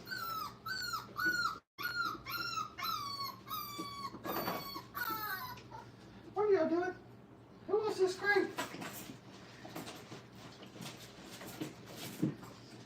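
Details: Five-week-old Brittany puppies learning crate training in a kennel: high, thin whimpers with falling pitch, repeated about every half second for five seconds, then a brief pause and a lower, wavering whine, with faint background noise.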